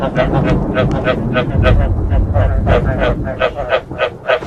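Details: Frogs croaking with thunder, played to encourage frogs to breed: rapid, throaty pulsed croaks, several per second in an overlapping chorus, over a steady deep rumble of thunder.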